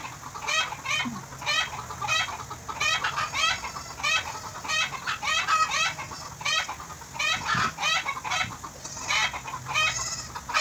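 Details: Goat kid in Bahrain, described as affectionate, bleating while being bottle-fed: a long series of brief wavering cries at a steady quick pace, about two each second, in a quiet indoor setting.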